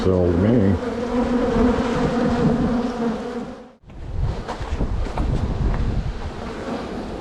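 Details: Bees at a hive being split in spring, an opening burst of sliding, wavering buzz tones settling into a steady hum, a short gap, then rougher buzzing with rustling handling noise.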